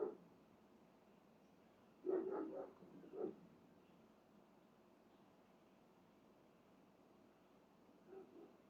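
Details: Dog barking indoors in the morning, around 7:57 to 7:59 am, alongside banging: a quick burst of three or four harmonic barks near two seconds, a single bark just after three seconds, then a faint pair near eight seconds over quiet room hiss.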